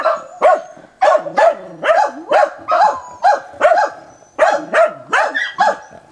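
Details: Dog barking quickly and doggedly at a wild boar, recorded 29 December 2017: sharp, bright barks in uneven quick bursts, often two in a row, steady and insistent over a quiet background.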